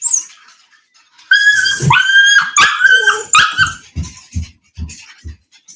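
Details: At a Cane Corso kennel west of Nashville, Tennessee, a dog lets out a string of shrill, harmonic-rich yelps and whines in quick succession, then softer soft thumps and shuffling as the cries fade, indoors.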